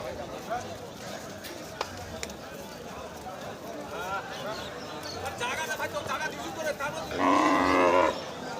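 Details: Cattle at the Madarganj cattle market in Thakurgaon district, Bangladesh, on 12 March, among bulls sold for slaughter: steady crowd chatter throughout, then one loud, drawn-out moo of about a second near the end.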